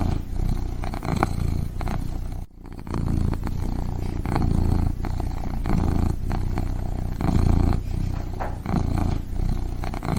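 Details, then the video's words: A kitten purring steadily, a deep rumbling throb that swells and eases in slow breath cycles of about a second each, with one brief pause near the middle. "Sleep like a baby with this kitten's purring sounds"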